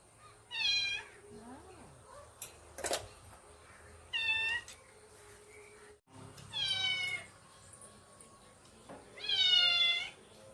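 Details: Domestic pet cats, a mother cat and her kitten, on an evening: four clear, high, harmonic meows spaced about three seconds apart, each rising then falling, with faint clicks and a quiet room background between calls.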